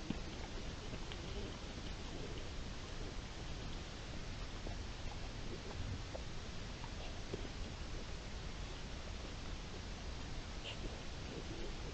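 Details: Steady broadband rain-like noise and rustling, with no clear animal calls. Low rumbling dominates throughout, with a few faint scattered clicks.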